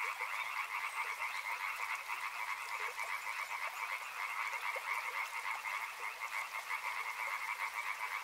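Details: Continuous chorus of frogs by a river, a throbbing, rattling trill held at two pitches. Small separate croaks pop out irregularly against a steady low hiss.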